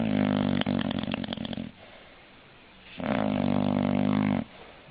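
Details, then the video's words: Indoors, an English bulldog gives two long, grating snores, the first with a crackly rattle, separated by a quiet breath of about a second. "Funny Snoring English Bulldog"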